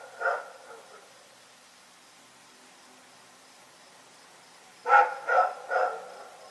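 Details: Night barking from Rex the dog: one bark with a softer echo-like trailing yelp, a long quiet pause, then three quick rough barks in a row.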